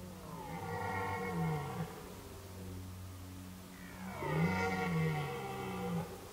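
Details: Two separate guttural roars from red deer in the rut, 2019, in the forest. A moderate groaning bellow comes first, then after a quiet gap a louder, rich, wavering roar lasting about two seconds.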